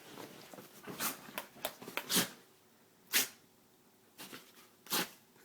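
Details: A male dog named Noggin sneezing in excitement: a run of short, loud, airy bursts, the strongest around the middle, then three more spaced sneezes about a second apart.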